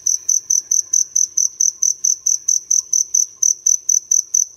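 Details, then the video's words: Small field cricket known locally as dế lửa, singing loudly from a nook inside a city house at dawn; clean, shrill pulses follow one another at an even pace, roughly two per second, over a quiet room. "Nghe tiếng dế ở Thành phố nhớ lại tuổi thơ"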